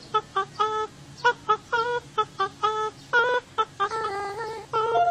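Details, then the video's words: Otter giving rapid runs of clear, musical notes, short chirps mixed with longer held tones that waver slightly, strung together with brief gaps, ringing with overtones over a low background hum. "Who knew otters could sound so beautiful"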